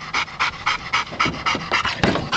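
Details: Yellow Labrador Retrievers, two of them, tussling in a pickup truck bed; steady, hoarse panting puffs repeating roughly four per second, slightly heavier toward the end.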